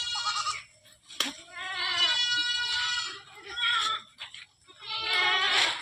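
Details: Long drawn-out, trembling bleats from goats kept on a farm holding over 100 animals. Calls run nearly continuously with brief dips between them, over a faint low hum.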